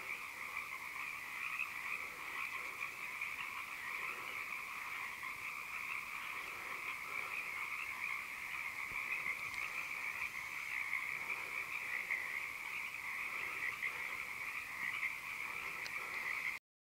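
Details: A dense chorus of frogs on the shores of the Big River in Mendocino, trilling and croaking together without pause, forming a steady high-pitched wall of sound.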